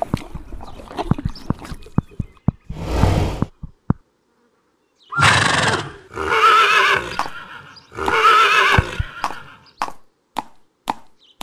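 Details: Horse neighing: after scattered clicks and knocks, three long, loud, harsh whinny bursts, each a couple of seconds long with a wavering tone, followed by sharp knocking sounds.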